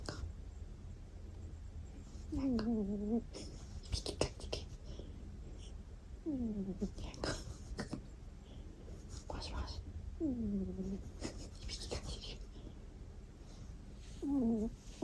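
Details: Domestic cat snoring in its sleep. Four squeaky, falling 'kuu' snores come roughly every four seconds, with soft clicks, rustles and faint whispering between them.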